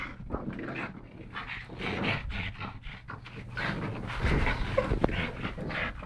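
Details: Two pug brothers rescued in Malta, Yogi and Mister, wrestling together: fast, irregular panting and snuffly breaths roughly four per second, mixed with occasional snorts and a sharp knock near the end.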